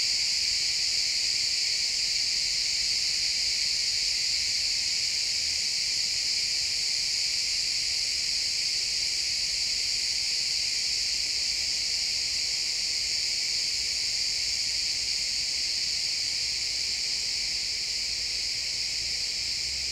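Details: Crickets chirping in a pine forest as the sun sets, a dense high-pitched pulsing chorus of several layered bands, steady and unbroken, with subtle rapid pulsing and faint low forest ambience below.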